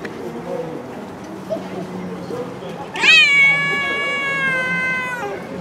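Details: Stray cat living on the street. After a few seconds of quiet background murmur, it gives one loud, drawn-out meow lasting about two seconds. The meow rises sharply, then holds a steady, rich tone.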